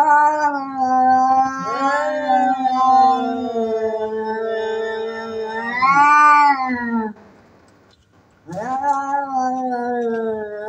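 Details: Fighting domestic cats threatening loudly: long, low, wavering yowls that swell to a louder, higher-pitched peak about six seconds in, then a brief silence before the drawn-out yowling resumes.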